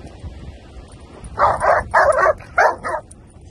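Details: Rhodesian Ridgeback at a Ridgeback meetup, barking in a quick series of five loud, harsh barks over about two seconds after a quiet start, with a short gap midway through the run.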